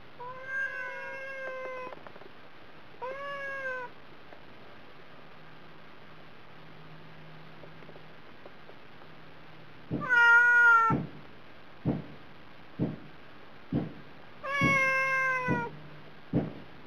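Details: Hungry domestic cat on a diet, calling again and again for food: a run of long, wavering meows, some louder and more strained, separated by pauses, with sharp clicking knocks in the later part.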